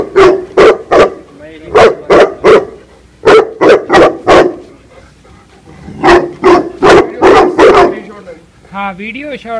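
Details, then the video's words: Female Tibetan Mastiff in attack mode, Punjab, India; loud deep barks in rapid bursts of three or four, with short pauses between groups, ending with a whining, rising harmonic yelp. "Tibetan mastiff female dog attack"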